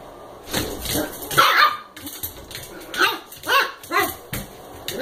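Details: Playful American Eskimo puppy, eight weeks old, romping with a Chihuahua mix indoors; rhythmic high yaps and grumbling barks roughly every half second, with a voice murmuring in the background.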